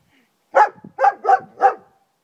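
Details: German Shepherd named Friska barking in a garden: four loud, harsh barks in quick succession, the middle two almost joined, with a faint low sound between the first and second.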